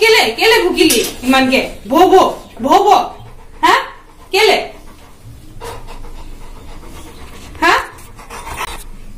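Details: An 11-month-old Labrador Retriever argues with its owner at the top of its voice indoors. It gives short arched, harmonic whining grumbles about once a second, then trails off into panting, with a person's voice mixed in.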